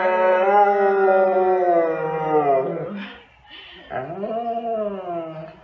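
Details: Siberian Husky howling along with its owner: a long, slightly wavering howl that slides downward and fades, a brief pause, then a second howl rising sharply and levelling off.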